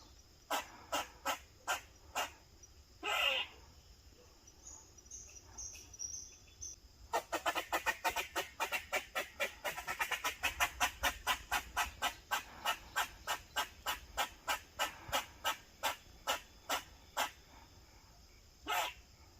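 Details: An eastern gray squirrel (Sciurus carolinensis) barks in sharp, evenly spaced notes that quicken into a rapid series, a protective behaviour.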